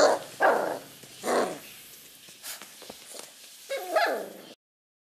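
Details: Beagle puppy reacting playfully to play calls: three loud, rough yipping barks with broad, noisy tone, about one second apart, over a hissy background.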